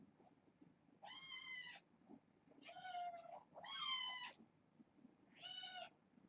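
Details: Kittens at bedtime, a litter of six born August 29th to a family pet and passed through the Purrfect Pals rescue. Four high, clear, harmonic mews come at uneven intervals, some rising then falling, over a quiet indoor background.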